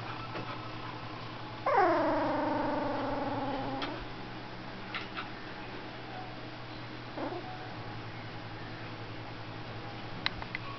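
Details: Aspen the golden retriever singing while being photographed indoors: one sustained, slightly wavering howl lasting about two seconds, gently falling in pitch, followed by a faint short whine and long quiet stretches with a low steady hum.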